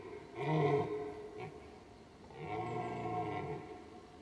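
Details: A red deer stag walking alone in a meadow at Weerterbos gives deep, hoarse rutting roars on 29 September 2011, while another stag with a herd of about 15 answers from the woods behind.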